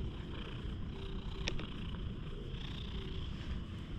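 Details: Stray cat fawning affectionately, its tongue left poking out, recorded up close on a GoPro HERO8: a steady low rumbling purr runs throughout, with a brief clicking sound midway.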